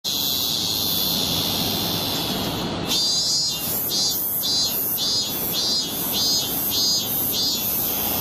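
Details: Cicada song in a compilation of cicada sound types: a steady high hiss, then after a cut a pulsing buzzy song with surges roughly every 0.6 seconds over soft background rumble.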